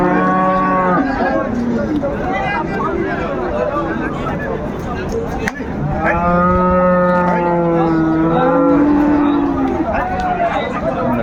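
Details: Sahiwal bulls at a cattle market where a Noakhali farmer buys farm-suited stock, 7 February 2025; long drawn-out harmonic moos, one early and a longer overlapping pair midway, over crowd chatter and bargaining voices.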